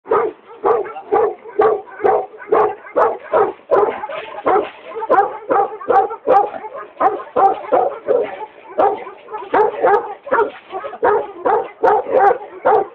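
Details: A native Tibetan Mastiff from Maqu, Gansu barks in a steady series of deep, hoarse woofs, about two or three every second, with short gaps between them and no other sounds.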